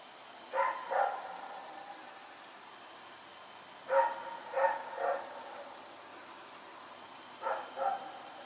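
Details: Rex, a dog running around at night, recorded on 21 September 2018, barking in pairs of sharp barks, three bursts spaced a few seconds apart over a steady low background hum.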